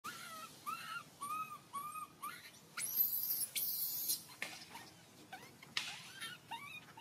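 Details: Hungry baby monkey crying to ask for milk: a series of short, thin, arched whistled cries rising and falling, then louder broadband hissing bursts and scattered clicks.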